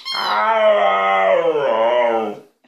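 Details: Talking-style vocalizing from a pet dog: one long, rich harmonic howl-moan of about two and a half seconds, fairly steady in pitch with a wavering dip and a slight rise before it fades.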